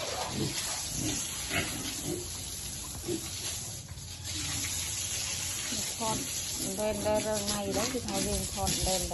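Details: Piglets enjoying cool water: scattered short grunts over steady running water, then a run of sustained, tonal squeals with rich harmonics rising and falling over the final three seconds.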